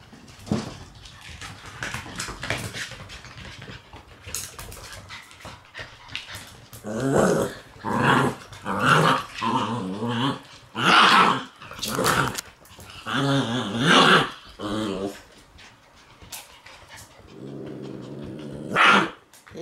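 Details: Shiba Inu puppies, three black and white sisters born in May, meeting puppies born in March for the first time indoors; repeated high whining yelps and growly cries in bursts, about seventy a minute, with a person speaking quietly.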